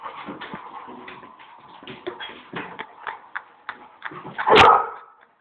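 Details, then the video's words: Pet male Labrador Retriever unable to reach his favorite toy, a frisbee: a run of high, nasal whimpers and short yips, building to one loud sharp bark near the end. "Labrador can't reach the frisby"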